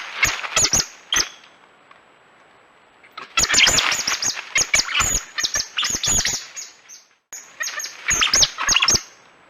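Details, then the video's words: Coati calling with a few sharp high squeaks, a quiet pause, then sustained bouts of piercing squeals and chattering chirps, cut off abruptly and restarting near the end. "Real Coati Sounds"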